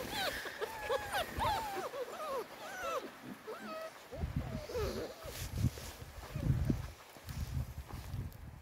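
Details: Springador puppies exploring the woods for the first time give rapid, choppy whines and yelps in quick succession, followed by heavy rustling and footsteps through undergrowth.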